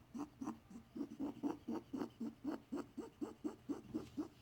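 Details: Pet bunny, male, possibly ill, making strange noises that puzzled his vet. Regular husky clicking puffs come about four per second for the whole stretch, with a slight low hum underneath.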